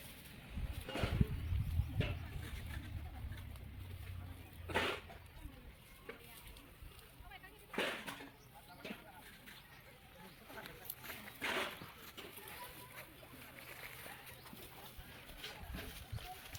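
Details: A very aggressive Indian rat snake, possibly female, gives sharp, breathy hisses in separate bursts, like a cobra's warning. Its handlers first heard this sound here; they say it opens its mouth wide and bites a lot.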